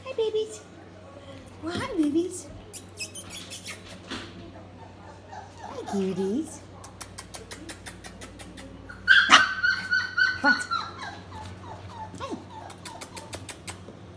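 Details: F1B doodle puppies, four weeks old, whimper and squeal in a small room. Low voices come first, then a burst of bright, repeated yelping whines in quick succession, fading to scattered squeaks, with a constant background hum.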